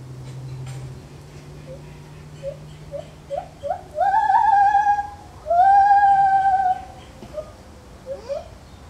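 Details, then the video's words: Lar gibbon in a zoo calling: short rising hoots come faster and faster, then swell into two long, loud, wavering sustained hoots, followed by a few softer upswept notes over a low steady hum. "Lar gibbon Monkey Sounds"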